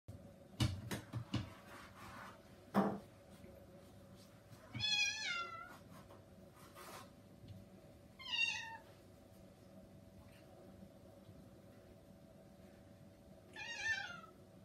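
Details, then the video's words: Kitten indoors, desperate to go outside, meowing to be let out: three rising-falling harmonic meows near 5, 8.5 and 14 seconds, with knocks and a steady low hum between. "Kitten meows and Yorps to get outside"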